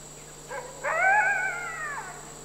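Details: A red wolf (M1483, critically endangered captive male at Wolf Conservation Center, South Salem, NY, with his roughly 5.5-month-old son, September 2010) gives a short yip, then a high, wavering howl that rises and slowly falls.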